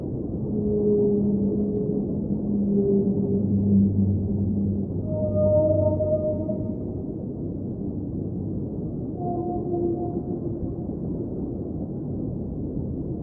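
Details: Underwater whale song, a series of low drawn-out moans followed by higher steady tones, several overlapping, heard above a continuous low rumble of water.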